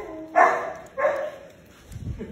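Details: At a Samoyed cafe in Korea, a dog gives two abrupt barks about half a second apart. Each bark is strong at first and then falls away. Faint murmuring and a light shuffle follow.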